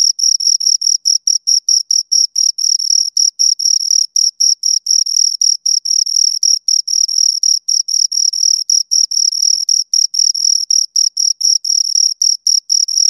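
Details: Continuous shrill chirping from two crickets, clipped pulses at about four per second with occasional longer merged bursts, clean tonal sound with a faint higher overtone and a silent background.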